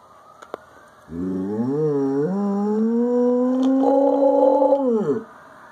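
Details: Nine-year-old Samoyed mix howling in response to police and fire sirens in Lancaster Township (West), Pennsylvania: a single sustained howl starting low, rising and holding a steady tone for about four seconds before dropping away, faint siren beneath.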